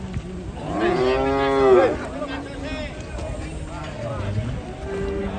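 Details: ['Cow rampaging and swimming in water as villagers gather; one loud, drawn-out moo lasting about a second, followed by quieter crowd voices and background noise.']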